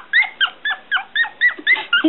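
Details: One-week-old Smooth Coat Collie/Coon Hound/Pomeranian mix puppies squeal in short, sharp bursts, about four per second. Each note rises and then drops, and the room behind them is quiet.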